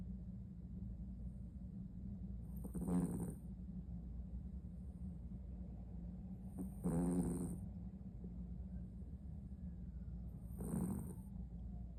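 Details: Sleeping Maltipoo dog snores heavily, with three rasping, rumbling breaths spaced about four seconds apart and quiet breathing in between, over a steady low background hum.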